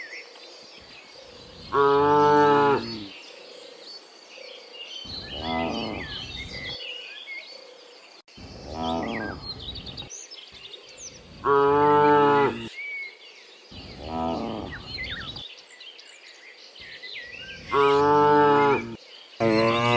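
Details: Dozens of cows moving home from the fields to the pen in the afternoon; seven moos over twenty seconds, alternating loud near calls and softer distant ones, with birds chirping throughout.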